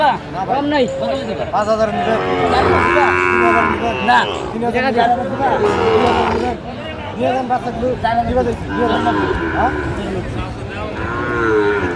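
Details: Sahiwal bulls for sale at a Comilla cattle market, Bangladesh, in February 2025; several long moaning moos overlap, one rising and held for about two seconds, with people haggling in the background.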